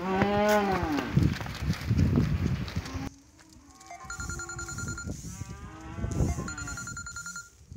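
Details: Angus and Hereford cattle at a livestock auction: a loud, drawn-out moo with arching harmonics fills the opening three seconds, followed by repeated electronic beeping tones over murmuring auction-yard noise.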